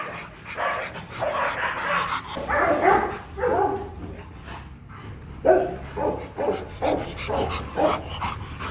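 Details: Rottweilers Marvin Gervi and Kacyno Gervi during mating in Vietnam, the male courting a hard-to-please female; bursts of short barks and yelps repeat over several seconds, with people talking nearby.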